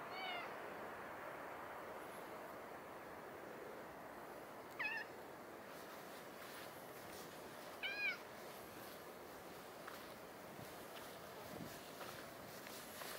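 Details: Cat at Nippon Maru Park, recorded early morning of 17 January 2022, giving short high meows, a faint one at the start and two clearer ones near five and eight seconds, over steady outdoor hiss.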